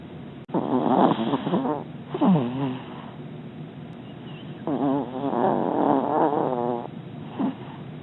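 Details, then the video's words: Pet dog Scooter, asleep in his doggie bed, snores noisily: uneven bursts of wavering, whistly nasal tones, some a second or more long, separated by soft breathy pauses, over a low steady indoor hiss, with one sharp click early on. "Scooter snoring"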